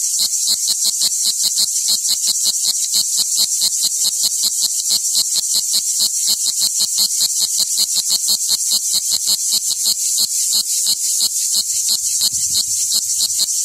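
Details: A cicada warming up from a cold start gives a harsh, high buzz broken into rapid pulses, about five or six each second.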